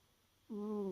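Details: Pet cat Peru dozing off tired, giving one steady, humming snore breath about half a second long with clear harmonics, after near silence.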